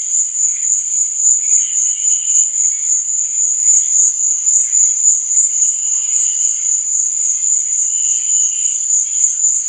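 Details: Cricket song at night: a sustained high trill running without gaps for nearly ten seconds, with a gentle fluttering undertone rising and fading.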